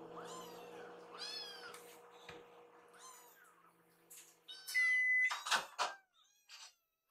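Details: Hungry rescued kittens gathered in a kitchen while food is prepared: several high, thin, arching meows repeated in quick succession, over a steady low hum and a few clinks and knocks from kitchen work.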